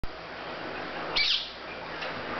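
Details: A 7-week-old female serval cub gives a single high, bird-like chirp over a steady background hiss.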